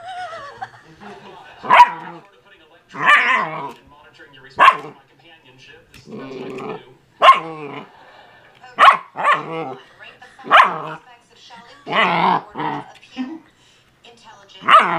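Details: A 12-week-old female German Shepherd Husky mix puppy, playing with her first porkhide roll and barking at it, gives sharp, high yipping barks in short bursts every second or two.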